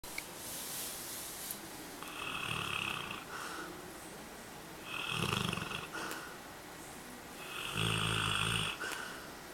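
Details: Napping Labrador Retriever recorded 03/03/2012, snoring indoors: three long rasping breaths spaced about three seconds apart, each a broad, rattling rumble with a hiss on top, quieter pauses between.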